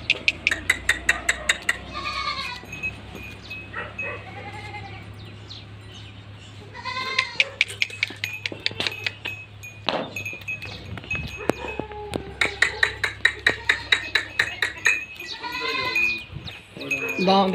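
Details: Beetal goats on a farm, a breed kept for meat and milk: several wavering, nasal bleats rise and fall between bursts of sharp repeated clicking and knocking, with a person talking in between.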